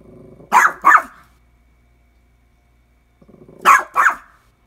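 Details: Domestic dog barking at a washing machine it treats as a nemesis: a low growl leads into two quick barks, then near silence for about two seconds, then another growl and a double bark.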